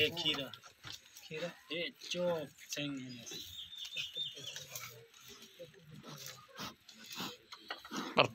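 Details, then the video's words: Goats kept on a farm in Pakistan, giving wavering, nasal bleats in short bursts early on, mixed with people talking in Punjabi throughout. "Cute and Funny Goat Sound"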